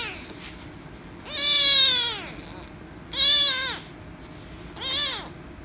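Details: Rescue kitten, angry at being petted, gives three loud, drawn-out meows that start high and sweep downward; the first is longest, the last shortest, and there is a low room hum between calls.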